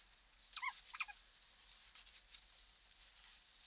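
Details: Otter pups born 15 April 2020, filmed at night by a keepers' camera inside their holt at ZSL London Zoo: two quick, high, harmonic squeaks in the first second, then soft rustling patter in a quiet enclosed space.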